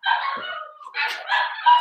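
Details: Blenheim Cavalier King Charles Spaniel puppy from a New Year litter of five, indoors in a home puppy pen, letting out a drawn-out, wavering high whine that breaks into sharper yelping rises near the end.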